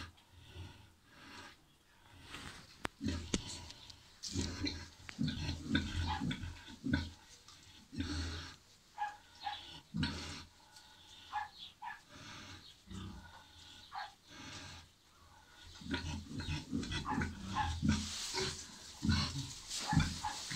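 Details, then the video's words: Farrowing Landrace × Pietrain sow with her eleven piglets. Steady low grunting runs throughout, mixed with sharper, higher squeaky sounds and clattering knocks, growing louder toward the end. "Fatare Landrace Pietrain 11 buc"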